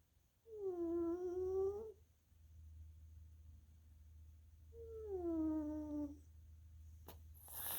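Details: Tuxedo cat Little Missy dozes indoors, her snore a lingering wheeze from former sinusitis and bronchitis: two humming, gently descending whistled breaths a few seconds apart, over a low steady background drone, ending with a sharp click and rustle.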